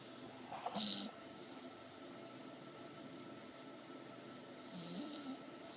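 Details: Pebbles, an English Bulldog, asleep and dreaming; soft breathy snoring with a brief louder snort near the first second and a low, short rasping breath near the end, otherwise a quiet room hum.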